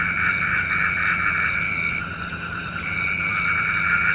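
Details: Frogs calling at night, said to call the rain: a dense chorus of rapid pulsed croaks, roughly four a second, layered over steady high buzzing bands, with a faint low hum beneath.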